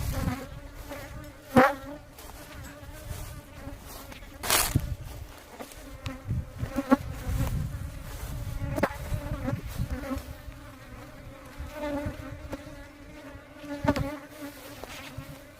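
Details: Buzzing of aggressive worker honey bees around a beekeeper at the hive, a continuous low drone that wavers in strength, with handling thumps and a brief burst of louder buzzing near the start.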